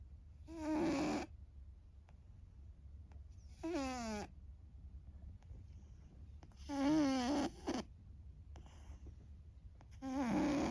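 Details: Sleeping house cat An, a loud snorer since young, gives four rough snores about every three seconds, each a broad, buzzy burst with gliding tonal streaks, quiet pauses between.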